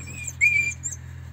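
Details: Siberian Husky puppy from a litter of eight raised at a yard in Remels, Germany, giving one short high squeaky whine that rises slightly and then holds level for about a third of a second, over a steady low electrical hum.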